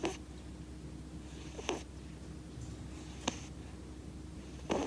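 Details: Munchkin kitten with a bad nose and a slight cold, snoring indoors: short breathy rasping snores come about every one and a half seconds over a steady low room hum.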